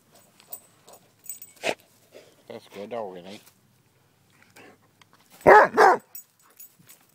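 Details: A female dog playing fetch outdoors on May 28th, 2012 gives two loud, sharp barks in quick succession near the end, after a man's voice urging her to bring the ball back; other faint clicks and thuds scattered throughout.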